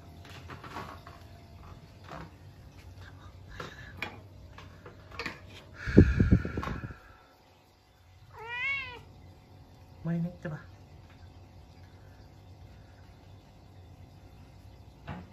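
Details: Indoor Munchkin cat at midnight on a snowy day, reacting after a stink bug got into the house: one clear wavering meow that rises then falls, later two short clipped calls, with a loud rustling thump beforehand and a quiet room hum.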